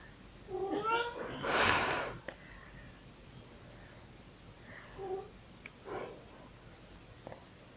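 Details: Pet cat Pixie, known for meowing while carrying toys around, 2022: a wavering meow, then a loud rushing burst and a fainter short meow later, with soft room noise.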